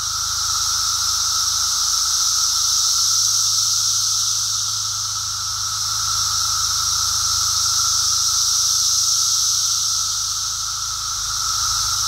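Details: Brood X periodical cicadas during their emergence, heard on a walk on 02 June 2021: a dense, unbroken roaring chorus with a steady high hiss and a pulsing tone, swelling and easing slightly in waves.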